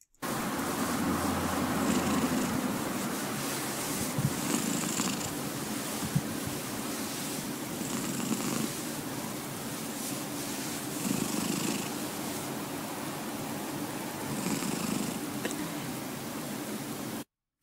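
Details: A domestic cat purrs with its mouth closed, the softer and smoother kind of purr: very faint, a low, almost rattling hum.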